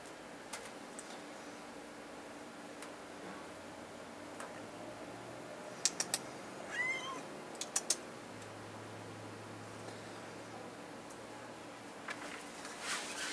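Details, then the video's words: Pet kitten named Dookie, spooked by an air conditioner, gives a single short, rising meow midway, set against a steady low hum and a few sharp clicks. "Talking kitten scared by air conditioner!"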